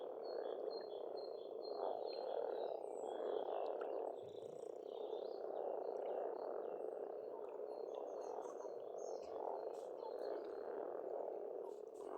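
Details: Frogs calling in a thick, unbroken croaking chorus at a pond in Estonia in spring, with faint high bird notes and scattered chirps above the steady rumble.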